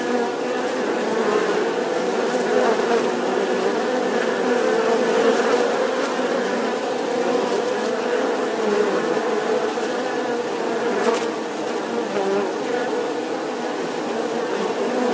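Steady droning hum of bees in flight, a dense continuous buzz.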